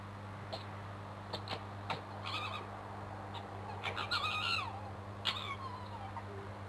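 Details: Crooked-Tail the male fox in a scrap beneath a bedroom window. Sharp clicks and harsh rasps lead into drawn-out, sliding screams that bend downward, over a steady low hum.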